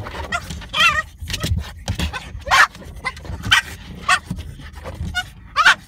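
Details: French bulldog attacking a car's rear windshield wiper; a burst of high, yappy barks and yips mixed with squeaky whines and snuffling, irregularly spaced over a low rumbling background.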